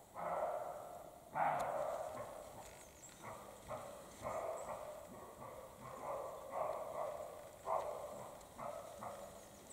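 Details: European roe deer of both sexes during the spring mating period, Carpathian mountains; a run of short, hoarse, dog-like barks repeated about every half second to second, some doubled, over a low outdoor hiss.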